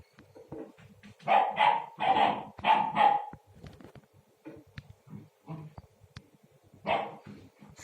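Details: A young Akbash puppy, who began making sounds only a day or two ago, gives a quick run of high, yappy barks, then one more after a pause, while playing with her water bowl indoors.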